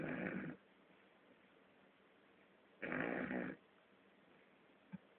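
An English Bulldog puppy snores in rough, rasping bursts separated by quiet pauses.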